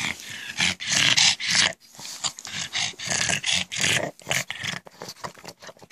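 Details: A household pug's goblin-like noises, made around the clock: breathy, raspy snarls and snorts coming in rapid uneven bursts, loud at first, then tapering into shorter huffs.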